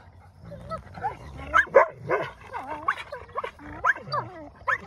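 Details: Wolfdog pups Silas and Bear fighting over a possession, settling who keeps it; harsh snarling growls broken by high wavering whines and sharp yelps, loud and continuous through the tussle.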